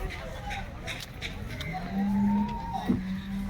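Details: Cattle at the well-known Loni cattle market in Maharashtra, India, on 22 January 2025: a long, low moo that swells and rises slightly, held about two seconds, over a background of people talking and passing vehicles.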